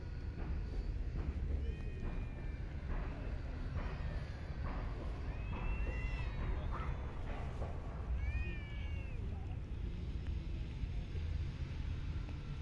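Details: Park and street cats being fed, giving a few short, rising-then-falling meows, clearest around the middle and again shortly after, over a steady low rumble of background noise.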